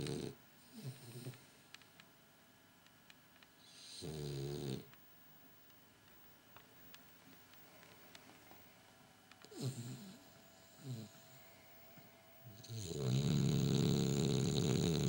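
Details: French Bulldog Gilbert asleep indoors: quiet snuffling breaths and two brief snorting bursts several seconds apart, building into a long, loud, deep rumbling snore at the end.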